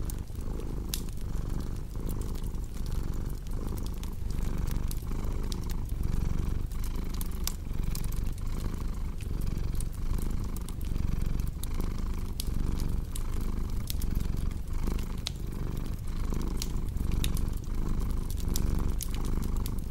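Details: Long, even purring from a cat, the low rumble pulsing in a regular breathing rhythm beneath a continuous scatter of fireplace crackles.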